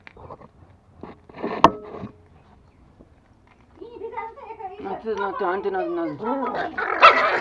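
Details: Toy Pomeranians kept as pets in Kathmandu, Nepal, acting angry: a few sharp clicks and a voice early on, then a rising snarling growl that breaks into harsh yappy barks, building louder toward the end.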